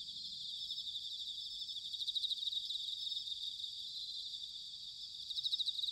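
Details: Bell crickets calling on an autumn night in Sanuki, Chiba Prefecture, Japan. Bright pulsed chirps ring repeatedly over a steady high trill. A faint low rumble lies underneath.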